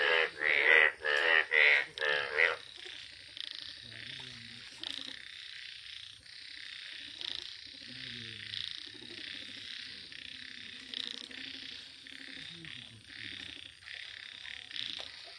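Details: A yellow frog opens with several loud, raspy pulsed croaks in quick succession over about two seconds, then softer, scattered croaking continues with a background chorus of other frogs.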